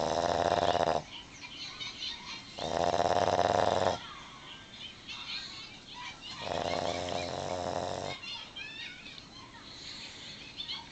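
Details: Ellie the Boston Terrier sleeps soundly despite open eyes, giving loud, drawn-out nasal snores about a second or more long, three in all, separated by quieter rasping breaths in a small room.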